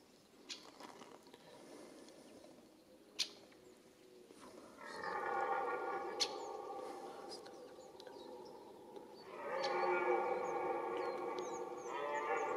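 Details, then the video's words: Red deer in the mating season rut giving two long, rough roars several seconds apart, each a dense harmonic bellow lasting about three seconds. Scattered clicks and snaps sound in between. "Red Deer Rut"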